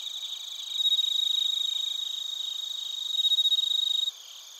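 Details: Bell crickets and other crickets in Narita, Chiba Prefecture, Japan, recorded on a TASCAM Portacapture X8: a dense, high-pitched pulsing trill with steady ringing tones layered above. It swells twice, then stops abruptly near the end, leaving a faint hiss.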